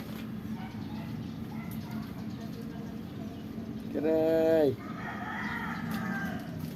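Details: Pet Persian cat and Siamese cat waiting for their food; one clear, steady, harmonic meow of under a second near the end, over a constant low household hum, with a fainter, higher, drawn-out sound after it.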